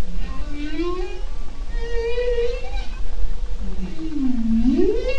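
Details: Underwater Arctic recording from the Bering Strait, summer 2010: bowhead whale giving a series of low tonal moans, some rising, one dipping then sweeping sharply upward, over steady low-frequency sea noise.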